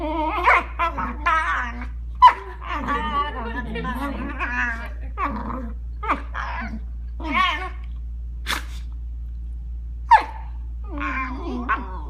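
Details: Aiden, a Shiba Inu, gets vocal while playing on a bed with Dobby, a Newfoundland puppy: a run of wavering, whiny, grumbling yowls with a few sharp yips, some overlapping, over a steady low hum.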